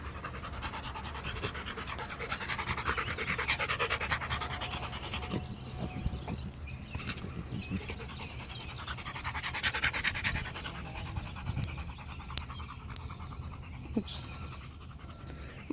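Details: Macho the Rottweiler, a pet dog, playing fetch with a ball: soft, steady breathy panting runs throughout, with brief louder hissy puffs now and then over a faint low background hum.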